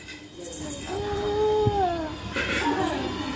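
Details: Angry cat meowing: a long, drawn-out wavering cry that holds steady and then falls, followed by a shorter, higher cry, with music playing behind.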